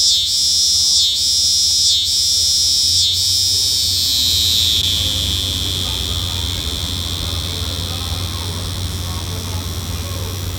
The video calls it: Singing Cicada